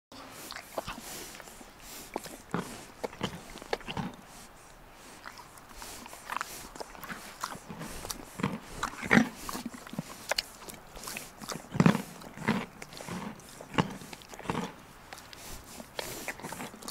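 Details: A horse eats pieces of carrot from a hand, chewing noisily with sharp, irregular crunches and audible soft breaths between bites.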